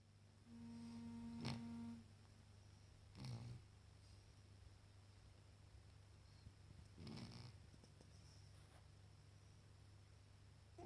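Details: Freddy the sleeping cat snores in two soft, breathy rasping bursts about four seconds apart, over a steady low electrical hum, with a brief tonal beep near the start.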